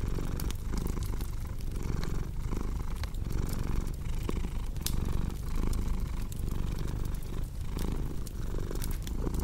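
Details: Contented domestic cat purring, a thick low rumble throbbing in regular breath-length waves, mixed with the soft hiss and frequent sharp pops of a crackling fireplace.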